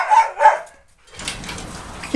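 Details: Boerboel at the Delatro Boerboels kennel, recorded on 30 October 2013, gives two short, sharp barks in quick succession, followed by a brief silence and then broadband rustling noise.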